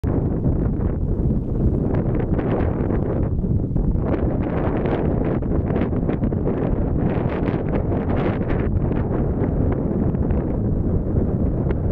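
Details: Steady wind buffeting the microphone, a deep continuous rumble with no bird calls.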